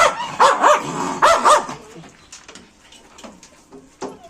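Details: Pet dogs at home giving two quick pairs of sharp, rising-then-falling yelping barks in the first second and a half, followed by quieter scattered yips and rustling.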